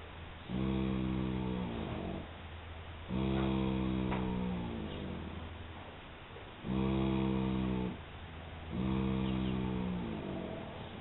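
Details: Molly, a one-year-three-month-old filly, snoring with her eyes open: four long, deep droning snores with a buzzy, harmonic tone, each lasting one to two seconds and separated by short pauses.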